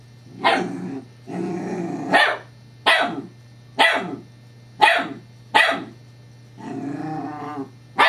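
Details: Evangeline, a female Scottish Terrier, playing with her new teething pacifier toy on 7-12-11: sharp barks about every 0.8 seconds, opening and closing with longer harmonic growling grumbles, over a steady low electrical hum.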